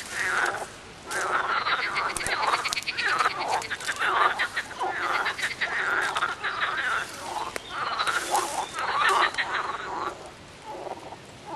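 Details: Frogs in full chorus from a short film, giving rapid rattling pulse trains and grating croaks in long overlapping runs, pausing briefly near the start and end.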